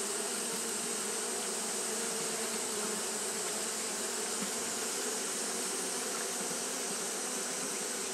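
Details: Steady roar of fanning Japanese honey bees on a hot day: many wings blending into one constant buzzing hum, low tonal bands beneath a broad rushing hiss, level from start to end.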